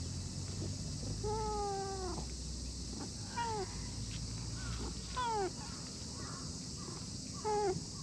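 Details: Chubby orange-and-white stray cat lying on cool moss in a park, giving four meows: a long drawn-out falling one, then three shorter downward-sliding meows spaced about two seconds apart over a steady outdoor hum.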